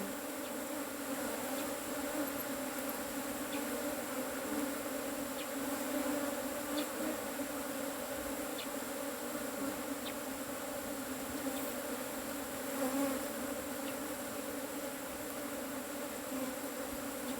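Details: Asian honey bees hum steadily while their cavity hive is harvested, a dense unbroken drone with stacked overtones that holds level for the whole stretch, with occasional faint clicks and light handling noise.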